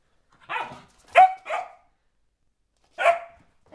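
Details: Four-month-old springer spaniel puppy Sophia, going slightly crazy, gives a hoarse bark, then two quick sharper barks, a pause of over a second, and one more bark.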